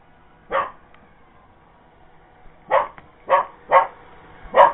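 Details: Cocker Spaniel going after a Roomba robot vacuum, barking at it: one bark, a pause of about two seconds, then four quicker barks in close succession over a low household hum.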